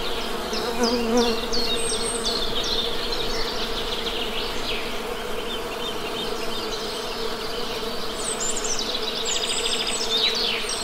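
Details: Honey bees buzzing in a steady, low, even hum at a hive, with busy high-pitched bird chirping and trills scattered across the recording.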